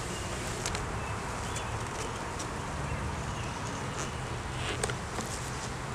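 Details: Steady droning hum of honey bees at a hive opened for inspection in a beeyard, where a laying queen and honey were found; recorded on a Canon Rebel T6 DSLR, with low humming bands, light handling clicks and soft rustling.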